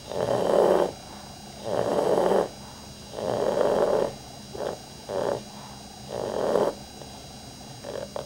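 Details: Rudy the dog, asleep, gives heavy rhythmic snores, rough rattling inhalations close together, some drawn out and others short and choppy, with quiet pauses between.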